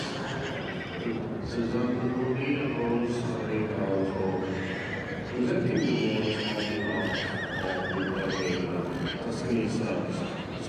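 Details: Welsh Cob colt, three years old, whinnying in quavering, rising-and-falling bursts around the second and seventh seconds, with people talking continuously nearby.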